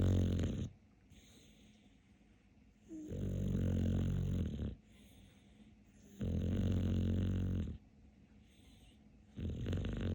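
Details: Deep, throaty snores from Capler, a sleeping dog, come in steady waves roughly every three seconds, each lasting over a second, with quiet breathing in between.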